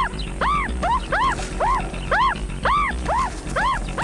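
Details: A meerkat pup, left behind while a pale chanting goshawk hunts nearby, gives repeated arched, squeaky distress calls about two a second; the whole clan rushes to its rescue.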